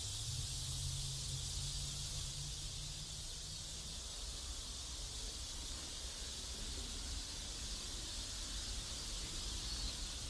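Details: Cicadas drone steadily in a South Korean neighborhood, an unbroken high sizzle, while a low engine-like hum runs through the first four seconds.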